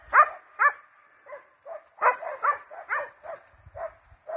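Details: Pack of hounds and Russo-European Laikas chasing a wild boar, giving rapid, overlapping yelping barks, about two per second and irregular, with several dogs calling over one another outdoors.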